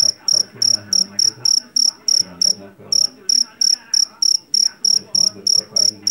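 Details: Javanese field cricket, jangkrik jeliteng, taken from a rice field and known for a piercing voice. Sharp, shrill chirps come roughly three per second with one brief pause, over soft low background murmuring.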